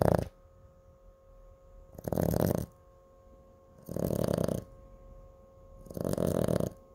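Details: Snoring from Cooper, a Chihuahua kept as a pet: four rough, buzzing snores arriving regularly about every two seconds, separated by quiet pauses, with a constant faint hum underneath.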